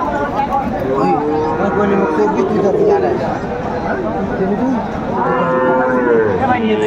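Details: At a busy Pabna livestock market on 30 June 2024, Sahiwal bull calves give two long, sliding moos, one early and one near the end, while buyers and sellers talk loudly around them.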